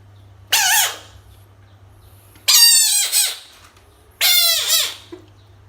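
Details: A frog facing toys lets out three long, harsh screams, rich in harmonics and sliding downward at the end, spaced about two seconds apart, with a faint low hum behind.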